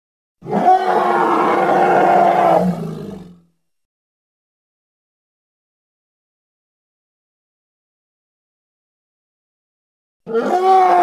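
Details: Hippopotamus from the Congo: a harsh, harmonic bellowing call lasting about three seconds, ending in a low rumble, followed by silence and the start of a second call.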